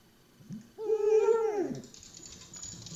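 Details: Talkative rescue dog indoors trying to get attention, wanting to play: one drawn-out tonal whine, steady then sliding downward over about a second, with faint room noise.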